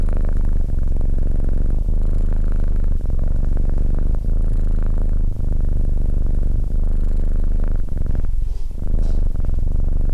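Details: Cat purring with a steady low, throbbing rumble; the sound briefly thins and wavers near the end before the deep purr returns.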